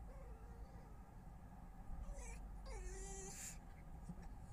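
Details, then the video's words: Wild red foxes visiting a garden in Weston-super-Mare early on 22 November 2025, making strange noises: quiet, whining tonal cries that dip then level off, one short cry followed by a longer drawn-out one, with faint rustling behind. "Some strange noises and behaviour from the foxes!"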